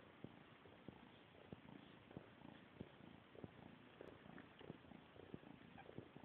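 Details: Domestic cat Bobek grooming the smaller kitten Mola during their morning wash, a steady low rumbling purr filling the recording, with soft regular licking clicks about every half second and a faint background hiss.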